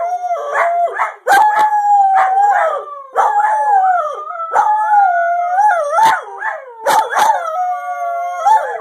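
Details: Howling greyhound giving drawn-out, wavering wails that slide up and down in pitch, punctuated by sharp bark-like bursts between the howls.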